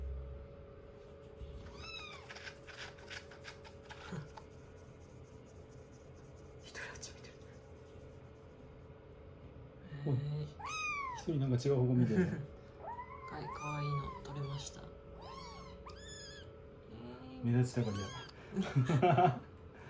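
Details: Kittens in rescue, nestled on a lap after a shampoo and drying, day 16 of a growth record: sparse mews early, then a dense run of high repeated meows mixed with talking.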